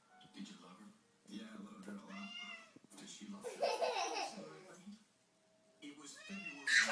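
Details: Domestic cats meowing indoors, as if talking: drawn-out, wavering meows, one near the start, a longer rising-and-falling one midway and a final one near the end, mixed with human voices and background music.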